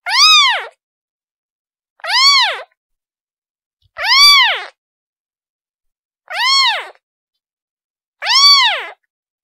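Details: Calling its mother, a kitten gives five evenly spaced meows about two seconds apart, each a bright, harmonic-rich cry that climbs and drops, with nothing else audible.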